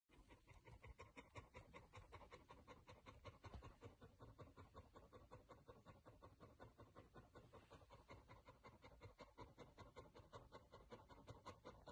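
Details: Chow Chow dog panting steadily, soft rapid breaths repeating about two and a half times per second for the whole stretch, each puff a short breathy hiss with an even, unbroken rhythm.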